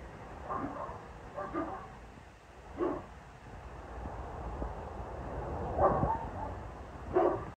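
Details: Spike, a 22-month-old male Boerboel, out enjoying yard time, gives five short, deep barks at uneven gaps across about seven seconds over a steady low rumble of wind and outdoor noise.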